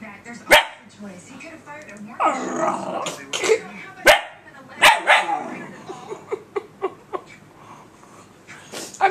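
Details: A pet puppy barks at her reflection in a computer screen indoors: sharp barks mixed with growly, whining vocalising and a rapid string of short yaps, while a person laughs and talks nearby.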